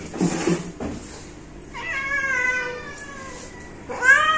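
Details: Household cat giving a drawn-out meow that starts high and slowly falls, followed shortly by the start of another rising meow; some rustling and handling noise before the calls.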